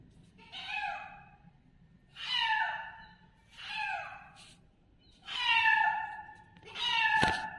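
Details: Kitten calling loudly: five wavering, descending meows at intervals of about one and a half seconds, the last ending with a brief knock.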